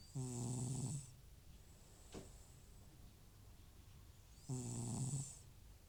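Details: Old FIV-positive cat Butcher asleep indoors, snoring loudly from nasal congestion; two long low buzzing snores about four seconds apart, each with a hissing breath, and a faint click between.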